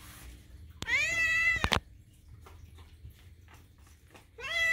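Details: Pet kitten screaming for food at feeding time indoors, one of two sister cats, Daisy and Moo; a loud, long, steady harmonic meow, a pair of sharp knocks, a quiet gap, then a new rising meow begins.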